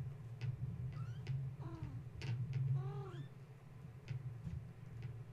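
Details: Kittens of the cat Gaia, indoors at bedtime, stirred awake when a space heater was plugged in and now playing and climbing; several high, thin meows with falling and rising pitch, over a steady low hum and scattered clicks.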